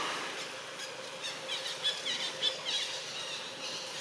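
A young monkey squeals in thin, high-pitched chirps, several short bursts clustered in the middle of the recording. A constant breathy background hiss runs underneath throughout.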